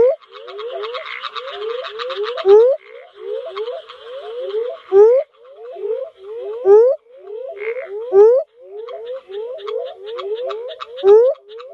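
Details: Australian northern spadefoot toad calling: quick low rising whoops in rapid series, the strongest notes recurring roughly every two to three seconds, backed by a crackling, buzzing chorus of other frogs at higher pitch.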